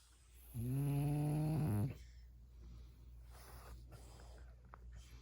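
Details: Sleeping French Bulldog Mungchi, tickled on the paws, lets out one steady low groaning grumble lasting over a second, then quiet room noise and faint rustling.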